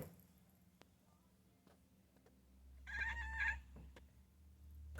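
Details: A kitten called Pumpkin watches squirrels outside and gives a short rapid stuttering chatter lasting about half a second, with faint clicks and a low room hum; a voice encourages her to go get the squirrel.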